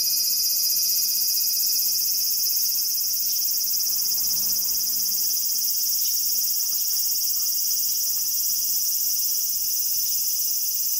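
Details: Cicada calling with a steady, hissing high drone that never breaks, faintly pulsing about four times a second, and a few brief fainter buzzes over it.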